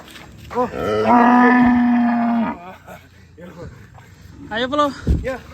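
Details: An escaped cow at Setia Farm gives a long, flat, drawn-out moo lasting over a second, then brief calls and chatter from people nearby.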